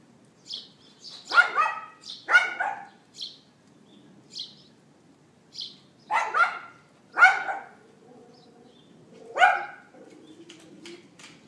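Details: At 11:31 AM on April 18, 2012, a neighbour's dog barks outdoors, recorded by iPhone 4S: sharp, ringing barks in pairs and singles a second or two apart, with soft bird chirps between.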